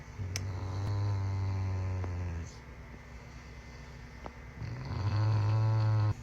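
A Rottweiler snores in two long, deep, rumbling breaths separated by a quiet pause.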